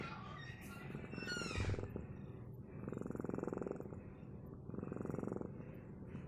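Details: A cat purring in three soft, low rumbling bursts, each about a second long and rising and falling with its breathing, with a brief higher squeak near the start and quiet room noise between bursts.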